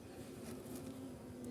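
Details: Honey bees in a hive box that has been moved and opened, smoke applied so they bite less; a steady, low, even hum with a faint higher whine and soft handling rustle.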